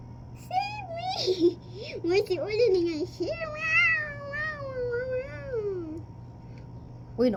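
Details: Two pet cats, Olive and Ul, fighting at home: a long, quavering yowl that climbs and dips for about six seconds with a few harsh breaks, while people talk and call out nearby.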